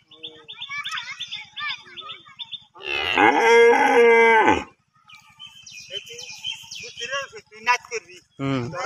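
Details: Tethered cow awaiting slaughter gives one loud, drawn-out moo lasting about two seconds, rich and harmonic with a steady droning pitch, while people chat in Bengali before and after and a low mechanical hum runs underneath.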